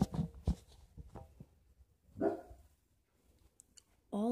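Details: A dog left home with its owner gives a wavering, rising howl at the end, after the owner plays "Hot Cross Buns" on a recorder, with spoken words before the howl.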